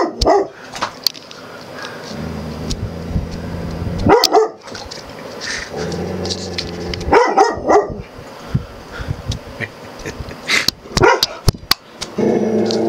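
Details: An Australian Cattle Dog mix named Puddy confronts his own reflection in a mirror and camera lens, giving short sharp barks and yips in bursts every few seconds over a steady low hum and scattered clicks.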